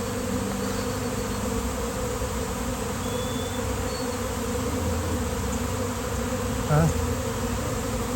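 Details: Swarming honeybees by the thousands land on a downed basketball hoop on a fine day. Even buzzing hum fills the clip, with a brief wavering tone and a short voice-like sound near the end.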